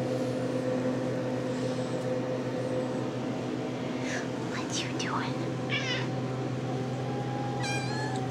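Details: RagaMuffin kittens of the Shrek litter, 10½ weeks old, indoors and just woken from a nap. Several thin, bending mews come in quick succession midway, then a final higher mew near the end. A constant low hum and a woman talking fill the room.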